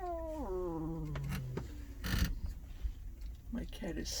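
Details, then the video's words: Sleeping large male trucker cat lets out a sliding moan that drops steadily in pitch over about a second, followed by rustling and soft knocking noises. "growling snoring talking in his sleep"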